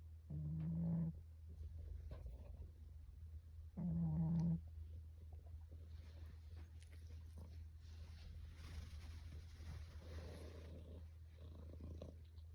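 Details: Russian Blue cat snoring, recorded 12 February 2022: two short buzzy, nasal snores about three and a half seconds apart, over a constant low hum, followed by faint rustling.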